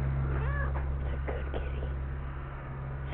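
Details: Kittens in Iowa, one being returned to its mother cat; a soft, thin meow rises and falls early on, followed by fainter mewing over a steady low hum.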